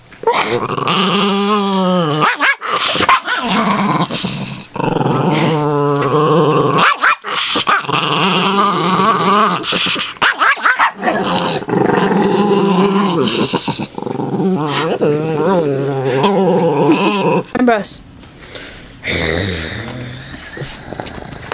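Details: Ambrose the pet dog growls and yips while being teased in play indoors; sustained rumbling growls with wavering harmonics and sharp short yelps, a man's voice speaking over parts of it.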